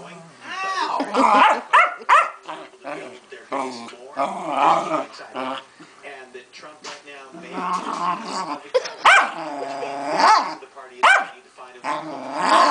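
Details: Angry female Keeshond kept as a pet having a royal fit: drawn-out, warbling moans and grumbling whines that swoop up and down, almost continuous, with a person speaking over and between the calls.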